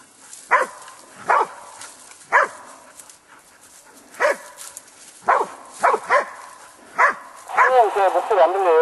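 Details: Korean Tri Hound barking while hunting wild boar: sharp loud barks spaced roughly a second apart, some in quick pairs, ending in a rapid wavering, howling yelp, with faint voices in the background.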